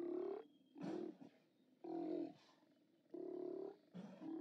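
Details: Steller sea lions calling at a haulout on 29 October 2017, live cam recording: loud raspy roars of about half a second, repeated roughly every second, alternating with quieter gaps and a faint steady tone behind.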